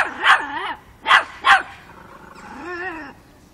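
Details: Five-month-old Miniature Pinscher Chocolina (Chiquita) confronting a grown cat, Kiev, Ukraine, October 2013; three sharp high barks followed by a drawn-out, wavering whine.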